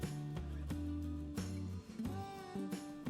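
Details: Only plucked guitar music is heard, with low sustained notes and strummed chords, and no animal voices.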